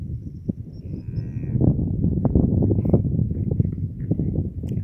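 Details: Heifer lowing on a mountain after giving birth: a low, rough, drawn-out rumble that swells and holds through most of the stretch, with brief higher tonal traces early on and outdoor bumps and shuffling around it.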